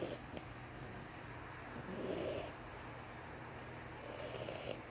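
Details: A dozing French Bulldog puppy gives two soft, raspy snores about two seconds apart, breathy and hissing, against a quiet room with a low background hum.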